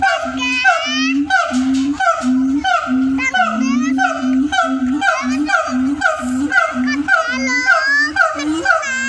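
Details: A siamang (Symphalangus syndactylus) in Indonesia gives loud, hooting calls in quick rhythmic bursts, with rising whooping notes over a steady tone.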